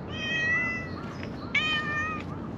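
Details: A friendly calico stray cat living on a mountaintop in Japan, following a person, gives a drawn-out harmonic meow, then a second, brighter meow after a brief pause, over steady outdoor background hiss.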